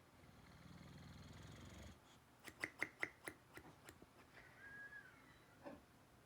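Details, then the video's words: Pet dog snoring indoors: a low, rattling, pulsed snore lasting about two seconds, then a quick run of sharp clicks with a faint high squeak in a quiet room. "Funniest snoring dog ever"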